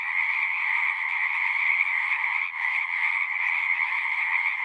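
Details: Singing frogs in a dense, unbroken chorus: a steady mid-pitched trilling hum with a brighter layer above it, many callers blending into one continuous wall of sound with a brief dip midway.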